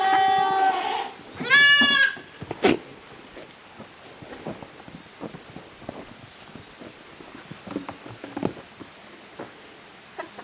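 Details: Playtime for goat kids, the young of Koharu and Okayu, in the yard at Yoshigake goat farm, June 2023; two short bleats open the recording, then a sharp knock and a long stretch of quiet shuffling and tapping.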